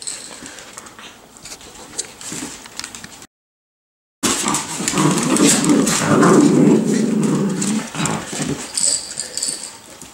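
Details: Miniature Schnauzer puppies, nine weeks old, at play, making quick repeated whimpers and small yips about four per second, strongest in the middle, among scrabbling noises and a woman's encouraging voice.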